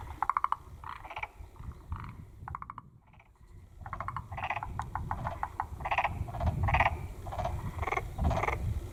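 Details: Black-spotted pond frogs giving short pulsed croaks in irregular series, a brief quiet gap near the middle, then denser rattling calls over a low background rumble.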